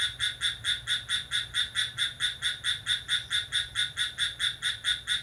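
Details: At midnight on 6 July, crickets sing energetically. Bright, rasping chirps come in a regular train, about two to three per second, steady throughout, against a quiet night background.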